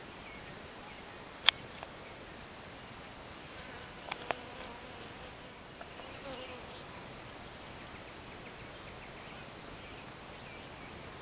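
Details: Western honey bee workers gathered around a caged virgin queen they cannot reach, giving a continuous low, even buzzing drone with a few sharp clicks and taps near the start and middle.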